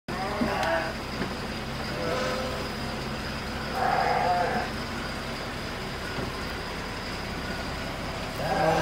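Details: Garut sheep kept in a pen, bleating. Four harmonic, wavering bleats come at irregular intervals, the last one loudest, over a steady mechanical hum and faint background murmur.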